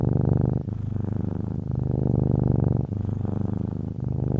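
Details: A house cat purrs with a deep, vibrating drone that swells and dips in breath-length phases of roughly a second, each separated by a brief gap.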